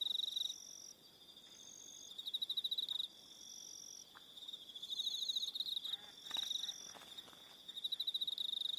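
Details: Crickets calling in the evening on Aroha Island, New Zealand: uneven bursts of fast pulsed chirps with quieter pauses, a few sharp clicks and a short sweeping sound near the end.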